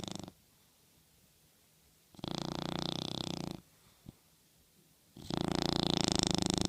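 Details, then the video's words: Dog sleeping and dreaming on a pillow, snoring in loud rasping breaths about one and a half seconds long, separated by quiet pauses of similar length in a small indoor room. "snoring dreaming sleeping on the pillow toy dog"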